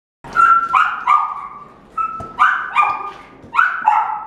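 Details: A male red-and-white Welsh Corgi puppy, born 23 September 2018, gives high, yappy barks in quick clusters of two or three.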